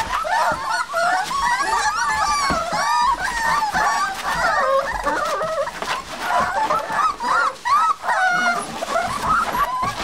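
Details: Several seven-week-old Olde English Bulldogge puppies kept together in a puppy box, whimpering and whining nonstop in overlapping high, wavering squeals that rise and fall, with occasional short yips.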